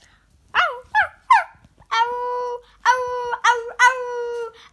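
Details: Female Yorkshire Terrier kept as a family pet, vocalizing as if chatting with a young girl indoors: three short bending yelps, then long sustained howl-like whines with rich overtones, separated by brief pauses.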